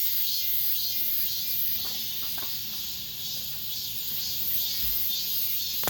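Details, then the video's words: Cicadas singing in the last days of summer within an apartment complex: a dense, steady, high-pitched buzzing drone that holds without pause, with faint pulsing swells roughly twice a second. "올 여름 마지막 매미소리"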